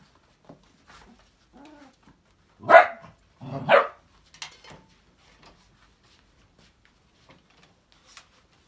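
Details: Two sharp, loud puppy barks about a second apart ring out from five-week-old Australian Labradoodles playing in an enrichment playground, framed by a few soft squeaks and quiet, nearly silent gaps.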